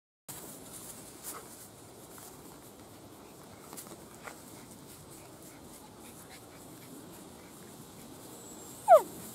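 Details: A Borzoi puppy playing with littermates gives one sharp, high squeak that slides quickly downward after a quiet stretch.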